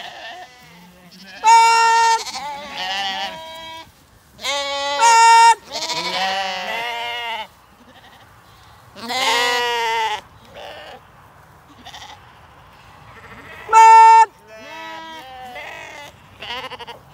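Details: Flock of Zwartbles ewes and lambs gathered in heat on a County Kilkenny farm in Ireland ahead of a buyer's viewing; repeated overlapping bleats from many sheep, some steady and loud, others quavering, in bursts spread across the recording.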